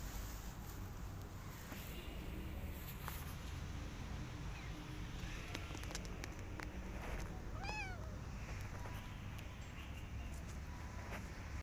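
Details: Rescued cat family, a mother cat with kittens, after being given plenty of food and a warm place to live; one clear rising-falling meow near the middle over steady low background noise and faint clicks.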